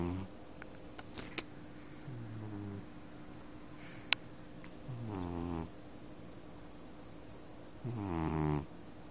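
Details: Domestic cat snoring while asleep: deep, rough, harmonic snores, four of them spaced about three seconds apart, each swelling and fading, over a steady low hum and a few faint clicks.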